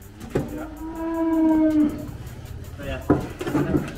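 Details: Gama F1 cow, a Belgian Blue x Brahman cross, smaller but hard to handle while being weighed. She gives one drawn-out low moo of about one and a half seconds, steady and then dropping, followed by short human voices and knocks.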